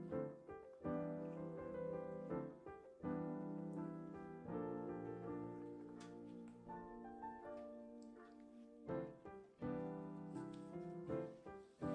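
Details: Soft piano music plays throughout, with gentle chords and pauses and no animal sounds.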